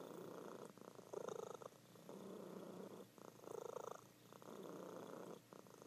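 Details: Indoor female cat purring in her sleep, a slow rhythm of about four rumbling swells, each rising and fading with her breathing.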